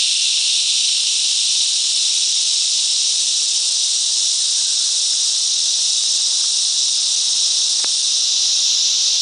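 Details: Massed cicadas in the mangrove bush of Coffs Harbour, Australia, give a relentless shrill droning buzz, steady throughout, with one brief click near the end.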